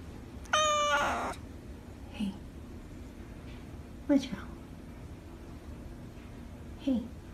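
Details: Calico polydactyl cat giving a loud, drawn-out harmonic meow near the start, followed by a few softer short sounds. A person talks nearby, offering turkey.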